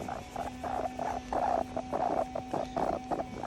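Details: Kitten making a strange, cute noise: a run of short, pulsed chirring bursts, about three each second, over a steady electrical hum, with a person speaking softly nearby.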